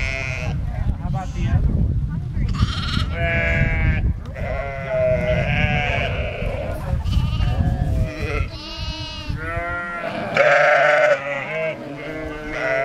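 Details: Two lambs abandoned by their ewe and suckled by a farm sheepdog bleat in rapid overlapping quavering cries, higher and lower voices mixed, with a human voice and low background noise.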